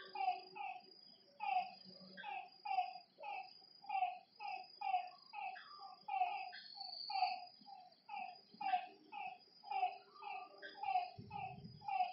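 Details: Lakeside frog chorus at night, many short harmonic croaks overlapping in quick rhythmic bursts, with a continuous shrill insect drone above and a brief low rumble near the end.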